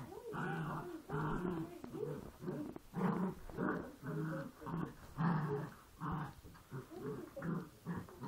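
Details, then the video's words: Poochon puppies growling while play fighting: low rumbling growls in pulsed bursts about every half second, rising and falling over the stretch. "Poochons play fighting"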